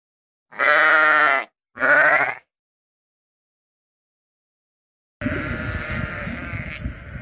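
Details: Sheep giving two loud, wavering bleats in quick succession, rich in stacked harmonics, followed by a pause of silence and then a stretch of broad rustling noise with a fainter voice in it.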